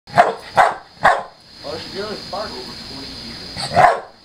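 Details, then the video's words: Pit bull named Chelsea play-fighting with a Maine Coon cat, no animal hurt; short sharp barks at about half-second intervals, then a stretch of softer low vocal sounds, another bark at the end, steady background hum. "Pit bull vs.Main coon cat"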